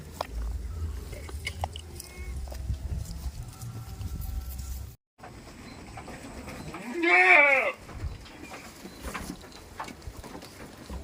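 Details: Goat on a village farm lets out a single loud, quavering bleat near the end, after a stretch of low rumbling and faint background noise.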